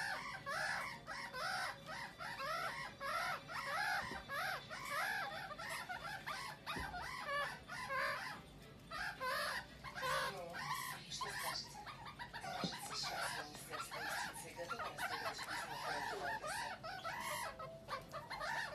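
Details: One-month-old meerkat pups playing together in Moscow, Russia, on May 14, 2018, chatter nonstop with high, squeaky, overlapping chirps in a busy, rapid stream.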